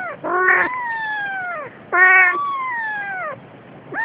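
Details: Siamese cat, a mother carrying her days-old kitten, giving two loud drawn-out meows, each starting strong and sliding slowly downward over more than a second, with a third beginning at the end.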